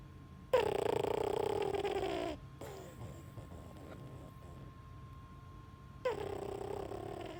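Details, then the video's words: French bulldog puppy snoring while asleep: a loud, nasal, trumpet-like drone lasting about two seconds, a quieter breathy stretch, then another droning snore begins near the end. "Snoring French bulldog puppy"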